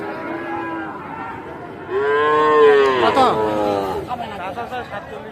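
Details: Sahiwal bull calves being sold at Aftabganj market, Dinajpur, Bangladesh, 8 October 2024: a soft low moo followed by a loud, rich bellow that swells and then fades, amid a murmuring crowd.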